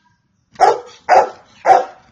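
Three rich, resonant barks from a Golden Retriever come at an even pace, roughly every half second. Each bark starts sharply and fades quickly, with brief quiet between them.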